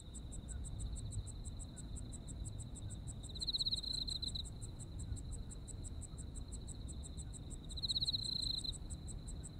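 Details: Japanese insects singing in autumn: fast regular high pulses with a continuous thin trill. Two stronger buzzy trill bursts rise near four and eight seconds, set against a low, steady rumble.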